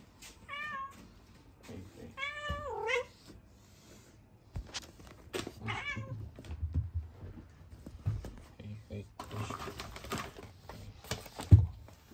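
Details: Chloe (Kuroe), a female rescued cat kept indoors, once a trapped kitten who was very wary of people and has a congenital heart condition. Two drawn-out meows, the second longer with a bending pitch, followed by human speech and rustling.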